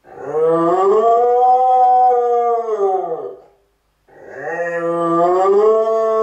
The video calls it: Welsh corgi cardigan howling like a siren